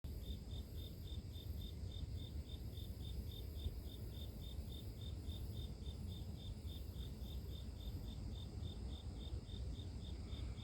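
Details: Insects in the grass: a steady, high, pulsed chirping, about three evenly spaced pulses a second, running without pause over a loud, low rumbling background noise.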